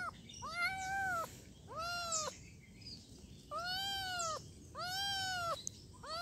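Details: Kitten giving five insistent, evenly arched meows in quick succession, each about half a second long, with short quiet gaps between them.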